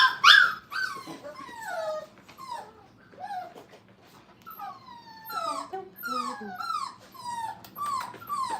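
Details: Five-week-old Brittany puppies playing at a training kennel give a string of high, falling whines and yelps, each sliding downward, coming in quick bursts throughout, loud at the start, with a woman's voice nearby.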